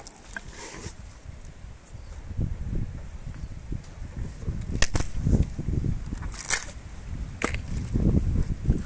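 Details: Meri, an elephant, eats sugarcane in a close-up ASMR recording. Irregular cracks and snaps of stalks break out about three times a second over a steady low rumble of chewing, with a few sharper splintering bursts.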